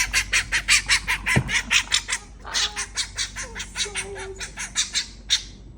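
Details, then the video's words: A young, tame fennec fox kept as an exotic pet at a large pet market in Bangkok, Thailand, gives rapid, harsh, high-pitched yelps, about two or three a second. "ফেনেক ফক্সের আওয়াজটা শুনুন।"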